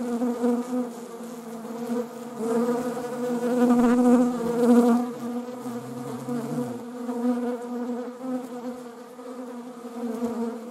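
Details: Buzzing of honeybees among wasps: a continuous low hum that swells louder around the middle, briefly wavers as one insect passes closer, then settles back into an even drone.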